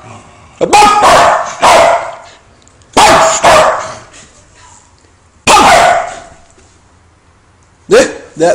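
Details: A female Welsh Corgi that hates lighters gives sharp, harsh barks, often in quick pairs, while a person talks between them. Identified as a Welsh Corgi.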